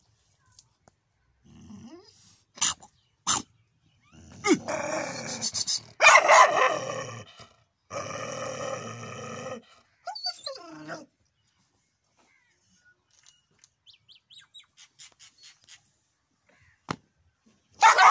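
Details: Big hungry street dog barking: a few sharp isolated bursts, then a run of harsh, rough barks and growl-like noise in the first half, followed by a short human voice and scattered faint clicks.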